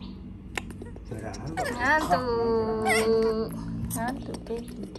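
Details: A spoiled, apparently sleepy baby monkey gives a drawn-out, whiny wail that rises and then holds steady, begging to be hugged.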